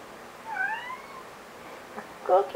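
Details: Pet cat meowing for a Greenie treat indoors; one drawn-out rising then falling meow, followed by a person's voice urging it on.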